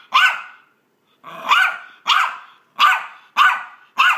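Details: A small Maltese dog makes sharp, high, rasping "vicious" barks, roughly one every half second, while playing fetch.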